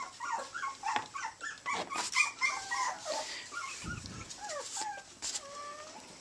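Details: Teacup Chihuahua puppies at play in Houston, Texas, three babies together, yelping and whining in quick, uneven bursts of falling squeaks, ending with two longer, drawn-out whines, over knocking and scuffling sounds.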